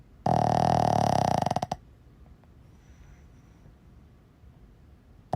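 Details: Boston Terrier snoring in its sleep: one loud, harsh, rattling snore of about one and a half seconds that breaks into stuttering pulses as it fades, then quiet breathing until the next snore begins.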